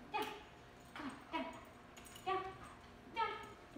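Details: Plott Hound named Harley during off-leash training, making a series of short, high whining yelps with harmonics, about five bursts spaced under a second apart, with quiet background between them.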